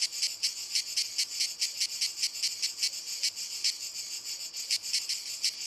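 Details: Chorus of cicadas in walnut trees, a shrill, high-pitched rasp beating in quick regular pulses, roughly five per second, continuous and unbroken.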